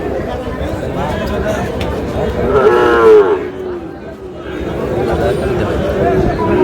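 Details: Sahiwal bull calf, about five months old, at a busy cattle market where a farmer from Narsingdi is buying. One loud, harmonic moo swells midway and then falls away, over steady crowd chatter and bargaining voices.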